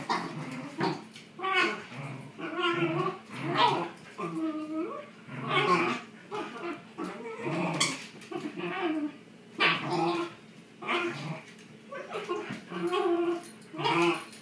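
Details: Shiba Inu dogs playing tug of war vocalize in uneven bursts: wavering, nasal whines bending up and down, broken by short yips and throaty grumbles; a human voice may be faintly mixed in.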